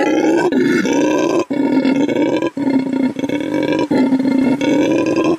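A red howler monkey gives a deep, rasping roar in long bouts broken by brief pauses.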